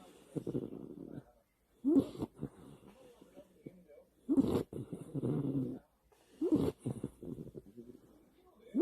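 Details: American Cocker Spaniel named Niji snoring at night in the dark while sleeping in the middle of a bed, with a pig-like snore; rhythmic low rumbling breaths in bursts about every two seconds, separated by short pauses.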